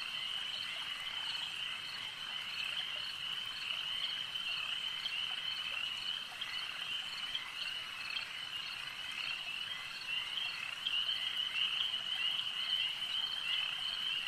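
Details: Frogs at a lake keep up a continuous, even chorus of high trilling croaks, about two calls a second blending into one unbroken ringing band, no other clear sounds.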